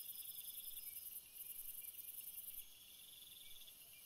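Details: Night cricket chorus of continuous shrill trills stacked at several pitches, the highest band briefly breaking off and returning before fading near the end, softer pulsing beneath; otherwise a calm background with no other clear sounds.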